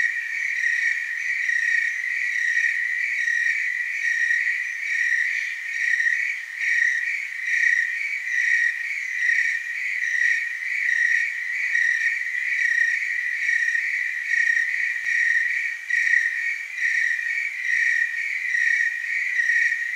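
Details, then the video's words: Tree crickets calling together in Oregon's Willamette Valley, producing a constant high trilling drone with overtones and a slow, regular pulse in volume across twenty seconds, no other sounds. "Tree cricket chorus"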